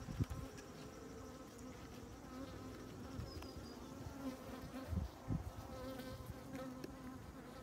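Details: Many honey bees on comb honey keep up a dense, even hum, a low buzzing chorus rich in overtones, with occasional louder bursts as individual bees pass close and a few faint knocks.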